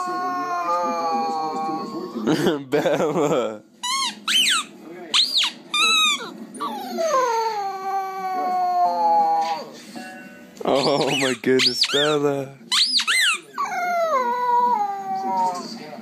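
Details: Cute puppies crying or howling: a run of high, sliding whimpers and squeaky yelps, many sweeping downward in pitch, with brief harsher bursts between them and some human speech mixed in.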